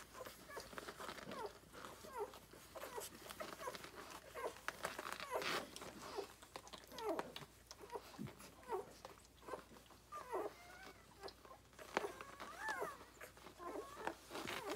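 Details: A nursing litter of Rhodesian Ridgeback puppies, six days old and born 9/3/2020, keeps up a busy chorus of squeaks and thin whines. Several voices overlap, with occasional rising, wavering whimpers and rustling in a small room.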